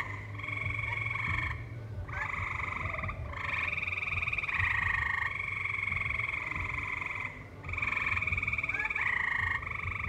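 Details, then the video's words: Tree frogs sing in a valley where live music plays. Long buzzy trills run for several seconds with brief pauses, a few short upward chirps mixed in, and a low rumbling background. "Tree Frogs Singing"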